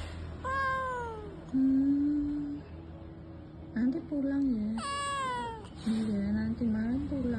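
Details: Village kitten left out in the heat, calling for its mother; two sharp, falling meows stand out between a woman's gentle reassuring talk, with faint quieter mews trailing after.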